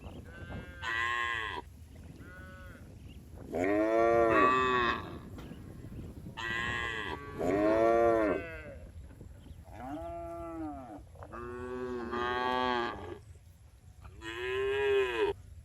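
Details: Tame farm cows returning to the barn during afternoon herding in a village, giving a series of about six loud, drawn-out moos spaced a couple of seconds apart, each rich in harmonics and bending in pitch, over steady low background hum.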